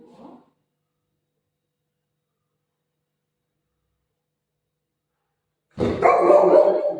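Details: Golden Retriever barking while playing with its owner, eager for dosa: a faint voice at the start, then a long silence, and finally one short, harsh burst of barking.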